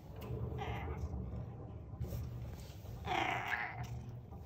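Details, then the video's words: Old male cat giving a whiny, angry meow because he wants to be let out of the room he sleeps in: a short meow early on, then a louder drawn-out one, over a steady low indoor hum. "Angry Meows"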